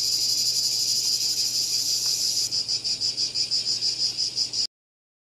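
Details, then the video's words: High, shrill cicada buzz that holds steady, then breaks into rapid rhythmic pulses, about four per second, before stopping abruptly into silence. "Cicada Called || ឪរៃអើយរៃយំ"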